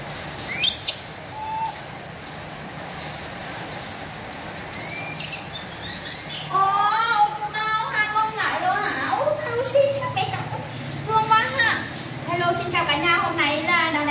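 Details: Two young pet monkeys call insistently for their mother while she is out buying milk, on a heavily rainy day. They give high, quavering, pleading cries that rise and fall in bursts, after a few brief chirps, over a low background hum.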